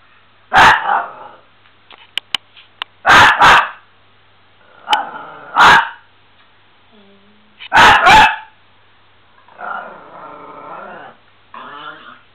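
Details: Miniature Pinscher barking indoors: sharp, loud barks, often in quick doubles, in about five bursts over twelve seconds, with a person's voice praising it between barks and a drawn-out whining sound near the end.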